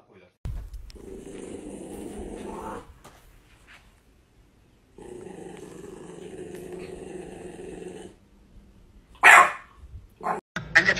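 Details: Pet dog in a funny home compilation giving two long, low rumbling growls of about two and three seconds each, separated by a pause, ending with brief sharp noises and a hint of speech.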